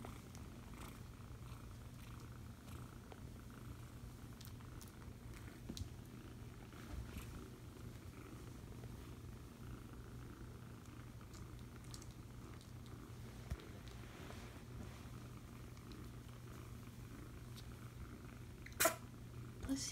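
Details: Foster kitten purring while being cuddled indoors: a steady, low, continuous rumble that holds through the whole stretch, with a few faint clicks and rustles.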